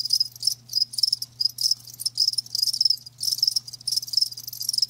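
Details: Live crickets trill in rapid high-pitched pulses grouped into bursts roughly every half second, a busy insect chorus backed by a soft constant low drone.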